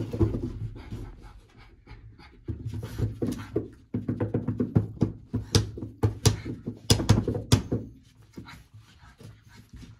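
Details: Playful French Bulldog chasing fingers indoors: dense runs of low grunting, snorting and panting in bursts, broken by short pauses, with a faint musical sound in the background.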